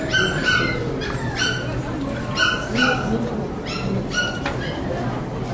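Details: Rapid, excited high-pitched yapping at a poodle club show in Saitama, June 2008. About eight short barks come in quick bursts of two, over people talking in a large indoor hall.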